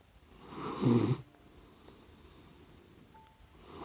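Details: Sleeping puppy dog snoring indoors, said to snore like a human: one rough, breathy snore swells and fades over about half a second, followed by near silence, with the next snore just beginning at the end.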